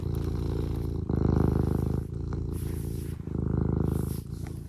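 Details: Domestic cat purring steadily up close, a low rough rumble pulsing in alternating inhale and exhale phases about every second, with a faint snort.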